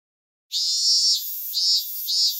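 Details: Cicada from Japan: after a brief silence, a loud hissing, high-pitched buzz bursts in and swells in surges roughly every half second.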